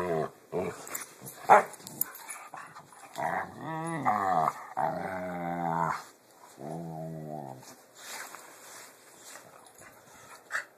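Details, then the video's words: Pit bulls growl while playing, making weird noises: drawn-out, wavering, harmonic growl-moans from about three to six seconds, then another about a second long near seven seconds, with short thumps and scuffling sounds between them. "Pitbulls make weird noises while playing"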